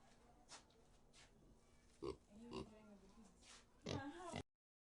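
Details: Pig making a few scattered oinks, each short, nasal and gruff, with a longer, louder snort-like grunt near the end over a quiet background hiss.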